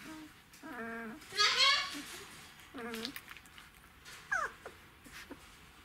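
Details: Czechoslovakian Wolfdog puppies, twelve days old, from the litter of Orizon and Rahan, filmed 3 December 2020: a few drawn-out, harmonic whines, one sliding upward, then a sharp falling squeak near the end, with soft background noise.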